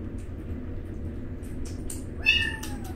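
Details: Newborn rescued alley kittens eating and struggling over food, giving a short high mewing cry with a falling pitch near the end, over steady low background noise and small clicks.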